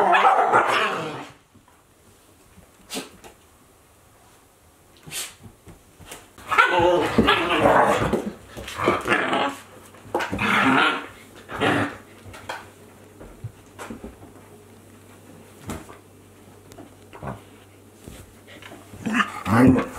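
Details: Playing Akita Inu dogs, a 14-month-old with a 2-month-old puppy; irregular bursts of barking and growling separated by quieter stretches with knocks and a low steady hum.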